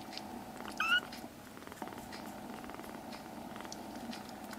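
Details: A foster kitten in a home gives one short, high meow near the start, then quiet follows with a steady low hum and faint rustling.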